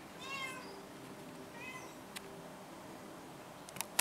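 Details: Cat meowing twice, a longer wavering meow at the start and a shorter one a second later, followed by quiet and a few sharp clicks at the close.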